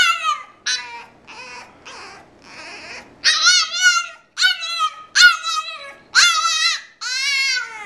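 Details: Indoor French Bulldog whining because he was not allowed to come out and play: a series of loud, high, harmonic whines, some rising then falling, in bursts of about half a second with short gaps, growing stronger after a quieter start.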